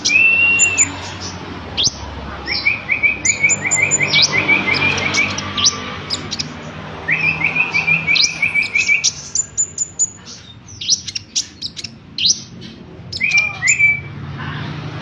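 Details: Cricket chirping as training audio for konin birds: bursts of rapid, evenly pulsed high chirps trilling for a few seconds at a time, separated by pauses, with sharp, higher bird chirps and tweets scattered throughout.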